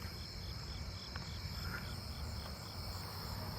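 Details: A Japanese burrowing cricket in a neighbourhood sings a steady series of short, high chirps over heavy traffic rumble, with other crickets and katydids, including a round-tipped conehead, calling nearby.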